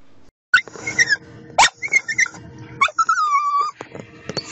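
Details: Domestic dog letting out a string of high, squeaky whines and yelps, some sliding up sharply and others holding a steady thin tone, broken by short gaps, in a close indoor recording.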